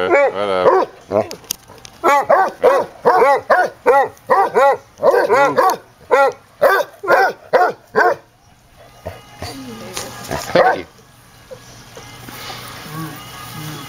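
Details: Basset Hounds at play: a rescued 8-year-old foster named Stubbs, scarred from a likely dog attack, with the resident basset; a run of about fifteen rapid arched barks over eight seconds, then quieter rustling and one more bark.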